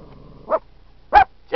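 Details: At Yellowstone National Park a Dachshund going after a buffalo gives three short, punchy barks spaced roughly half a second apart over a faint low hum.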